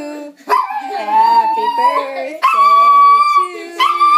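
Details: Seven-year-old male toy poodle howling along as people sing Happy Birthday; long sustained tonal howls gliding slowly upward, broken into three drawn-out notes, over human singing voices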